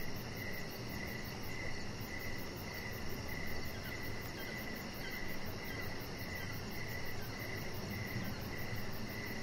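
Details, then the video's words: Evening crickets heard from an outdoor deck with a chihuahua puppy nearby; even, repeated chirps come roughly every half second over a soft low hum, with a rapid high-pitched pulsing layer throughout. "Chihuahua Puppy Laying On Deck with Cricket Sounds"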